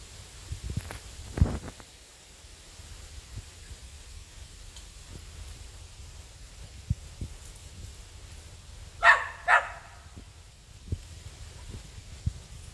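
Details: Samoyed dog Luna barking toward the neighbour's goats outdoors: a quick double bark late in the clip, preceded by faint rustling and a soft distant yelp, otherwise mostly quiet rural background.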